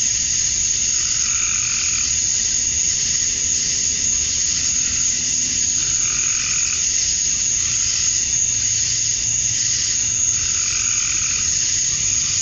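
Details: A continuous high buzzing wall of male cicadas calling for females at dusk, summer night, Georgia, USA. Lower hooting pulses from another animal repeat roughly every two to three seconds beneath it.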